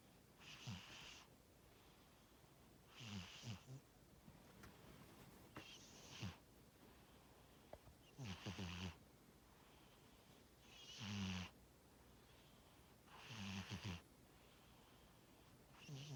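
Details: A cat named Tora snoring while asleep: breathy bursts with a low rattling base, repeating roughly every two and a half seconds, quiet room hiss between breaths.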